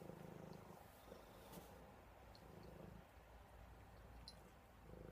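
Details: Buddy, a cuddly house cat drifting toward sleep, purrs in low rumbling bursts that pause briefly between breaths, with a few faint clicks in a quiet room.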